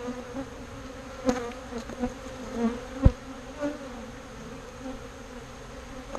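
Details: Steady low droning of bees taken from a birdhouse and moved into a bee box, with a few sharp clicks and a soft knock standing out against the even hum.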